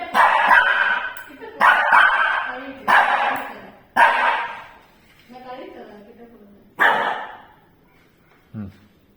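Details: Frightened Shih Tzu barking at a tea ball infuser, several rough broadband barks in quick succession, then a pause and another bark, while a person speaks softly in Tamil in between, telling it there is nothing there.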